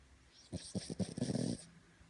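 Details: Cavalier King Charles Spaniel asleep on its owner's belly indoors, giving one rattling snore of about a second, a series of quick pulses merging into a rough buzzy exhale, in a quiet room.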